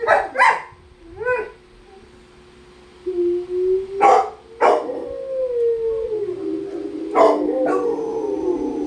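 Rottweilers howl in long, wavering tones broken by sharp barks.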